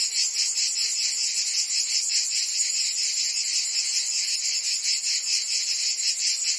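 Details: Chorus of cicadas in Provence, France, during summer: a piercing, continuous electric-like buzz with fast wavering pulses and nothing else clearly audible.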